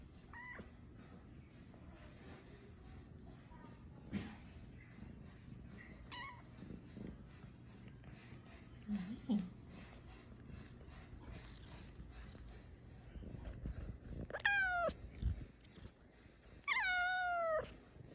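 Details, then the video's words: Luna, a chatty domestic cat, stays quiet behind low household rumble and faint rustling for most of the stretch, then lets out two distinct drawn-out meows near the end, the second longer and louder. "Meet Ms. Meowers: The chattiest cat!"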